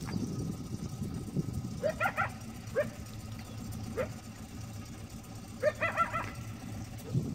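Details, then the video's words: Coyote barking an alert at Lake San Marcos, California, in the evening around 5:30 pm, repeatedly for at least fifteen minutes; short sharp barks, some doubled, come every second or two over a steady low rumble. "Coyote barking an alert at Lake San Marcos, California"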